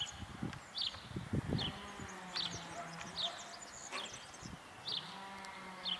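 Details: Lhasa Apso puppies (Canis familiaris) from a litter give thin, high squeaks, each a quick falling peep, repeated about once a second.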